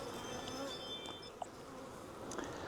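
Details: Honey bees of a wild swarm being caught from a tree branch and moved to a nuc box: a continuous low buzzing drone, with a few thin high tones and soft knocks over it.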